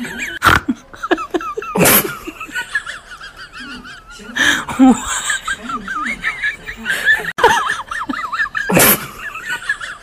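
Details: Several guinea pigs, roused by a crinkling bag, keep up shrill undulating wheeks in repeated strings, interrupted by loud bursts of human laughter and mixed with low chuttering squeaks.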